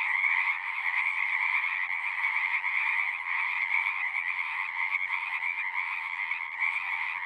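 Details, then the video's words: Massed frogs singing in a dense, continuous trilling chorus, a loud high band over a softer lower one, swelling slightly at the start and then staying level. "One hour of singing frogs."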